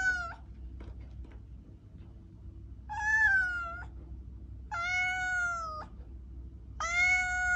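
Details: Domestic cat repeating loud, drawn-out meows roughly every two seconds, each call steady in pitch and ending abruptly, with a low hum running underneath.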